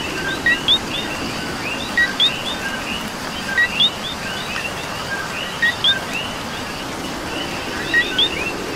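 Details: Puerto Rican coquí frogs during rain, several overlapping two-part co-qui calls, each a short lower note then a higher upswept chirp, repeated every second or two against continuous rain noise.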